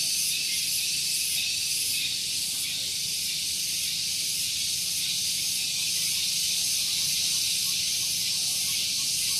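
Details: Tonggeret cicadas at Gunung Geulis, Bogor, West Java, singing in the morning near parked vehicles. A very loud, unbroken, hiss-like buzzing that stays level throughout, faintly throbbing in a loose rhythm.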